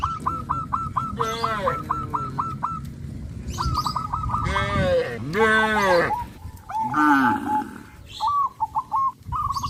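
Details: Tame village cattle on their morning walk to a green pasture let out a series of rich, wavering moos, some overlapping. A bird's rapid, repeated hooked whistles run before and after the lowing.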